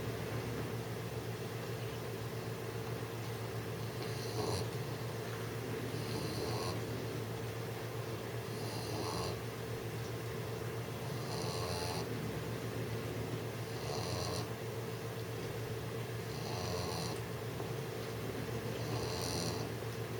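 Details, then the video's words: Six-month-old English bulldog Jessie snores while trying to sleep, each harsh, rasping breath repeating about every two seconds in a small room with a constant low background hum. "Jessie the 6month old ENGLISH BULLDOG snoring while trying to sleep"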